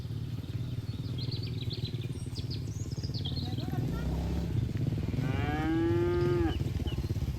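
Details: Herd cattle grazing on green pasture: birds chirp at first, then a cow produces a long, level moo that slides slightly down at its end, over steady low background noise.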